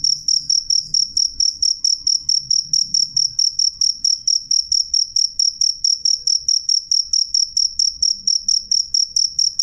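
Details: A cricket calls with a crisp, piercing chirp, evenly repeated about twice a second for the whole stretch, while a faint low murmur sits in the background.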